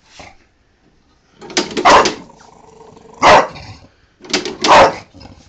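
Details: Angry female Bulldog barking at a lawnmower, three separated bursts of loud broad barks with low growly rumble between them, a person cheering her on nearby.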